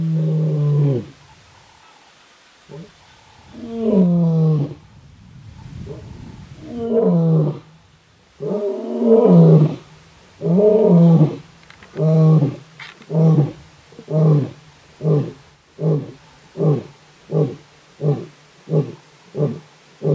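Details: A big dark-maned lion roars on a road in Kruger National Park, South Africa, during territorial calling. Long, deep moaning roars build up, then give way to a run of shorter grunts that come faster and fade toward the end.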